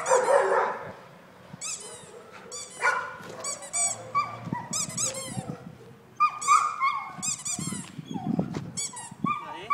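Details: Kerry Blue Terrier barking and whimpering in rapid, uneven bursts, shrill stacked yelps alternating with short sharp barks, plus a brief voice at the start.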